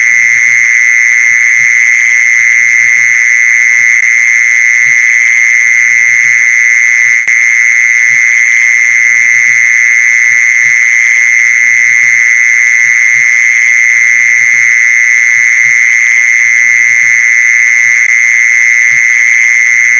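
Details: Steady mole cricket trill meant to attract mole crickets, a loud, unwavering buzzy tone held for the whole stretch with a faint upper harmonic and scattered soft low knocks underneath.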